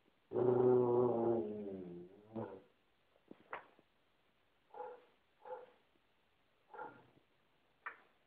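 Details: Basset hound warning another dog off its couch: a long, deep, harmonic bay that trails off, followed by a string of short huffing grunts and snorts spaced about a second apart.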